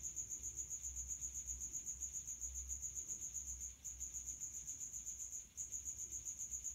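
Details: High-temperature calling of a male house cricket, Acheta domestica, amplified by a resonating hiding spot; shrill, evenly pulsed chirps repeat roughly four times a second, briefly faltering twice, over faint low rumble.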